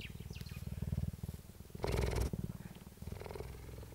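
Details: A female cheetah at the Dell Cheetah Centre, Parys, South Africa, recorded on 5 May 2019, purrs in a deep, steady rumble of rapid low pulses, with a brief louder rasp midway, after unusually approaching the recordist.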